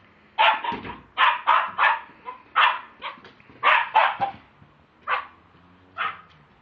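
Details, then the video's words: Pet Lakeland Terrier recorded with a mobile phone, barking in short, punchy yaps spaced roughly every half second, some doubled, then slowing to single barks. "my lakeland terrier"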